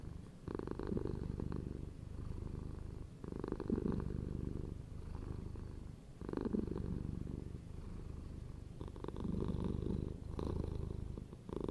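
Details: Steady purr of a domestic cat over nearly twelve seconds, a deep vibrating drone that swells and dips in regular breath cycles roughly every three seconds.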